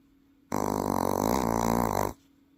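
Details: Welsh Corgi kept as a pet in Paju, South Korea, snoring in its sleep with a human-like sound: a loud, steady, buzzy, rattling snore about one and a half seconds long, strongly harmonic, over faint indoor hum.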